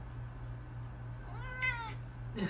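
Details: One short meow from a domestic cat, rising then falling, after a quiet stretch with a constant low hum in the background.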